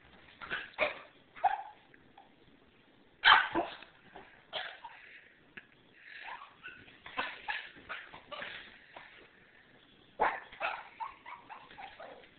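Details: Sophie, a pet Papillon puppy, goes wild at the cue that someone is coming into the house, letting out bursts of sharp high barks and yips in clusters, with quieter pauses between.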